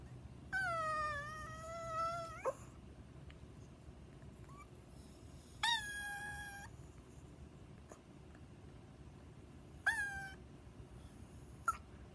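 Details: Pet Chihuahua named Coco, a dog that does not know how to bark, makes three high crying whines. The first is long and wavering. The next two are shorter, with quiet indoor background between them.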